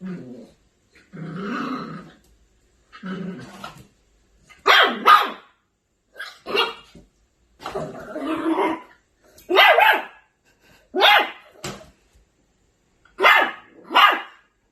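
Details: Angry Maltipoo puppy in a small room mixing low growls with short, sharp yappy barks, often in pairs, repeated through the recording with quiet gaps between them.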